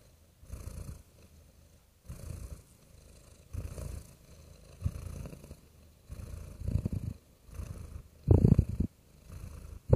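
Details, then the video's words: Real cat purring softly in a low, rough rumble, swelling in pulses about every one and a half seconds and growing louder toward the end. "Soothing Cat Purring Sounds"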